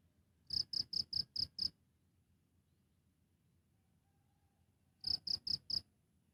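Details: Cricket chirping live: six evenly spaced high, ringing pulses, a gap of about three seconds, then a second burst of four chirps against a quiet background.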